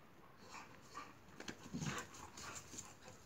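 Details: Boxer dogs playing together, giving soft whimpers, short yips and breathy panting bursts that cluster in the middle seconds. Quiet, close indoor-sounding recording with a faint steady high hiss in the background.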